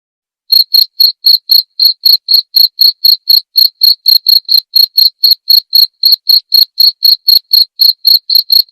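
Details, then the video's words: Cricket sound for teaching white-rumped shamas: after half a second of quiet, bright high chirps follow in a fast, steady train of about four per second, each pulse short and ringing, with no other sounds. "masteran suara jangkrik jernih!"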